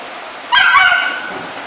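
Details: Single drawn-out, high-pitched bark with a whining tonal tail from a three-month-old Rough Collie puppy reacting to a vacuum cleaner.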